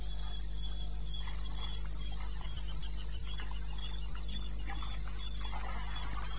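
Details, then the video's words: Cricket at night in eastern Botswana wilderness, 21 May 2016, 2:30 AM; regular high chirps continue while scattered clicks and rustling taps crowd the middle range, all over a constant low hum. "1 Hour cricket sound"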